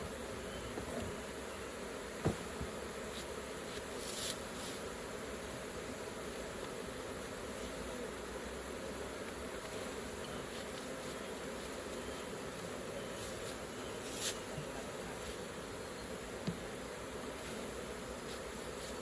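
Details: Many honey bees humming around a hive opened for collecting raw honey, a level, droning buzz held throughout, with a few scattered taps and clicks over it.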